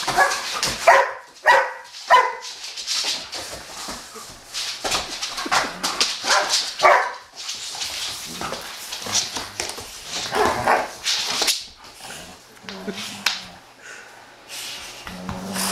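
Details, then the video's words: Two Giant Schnauzers playing wildly at home, Ice, a 15-month-old female still very much a puppy, and Haanz: three sharp harmonic barks open, followed by rough scuffling bursts and low grumbling growls during the rough play. "Crazy Giant Schnauzers"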